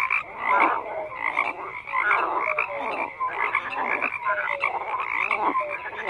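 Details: Group of frogs croaking in surging waves, each surge a thick mass of grating calls roughly every second, with thin whistled notes slipping in between.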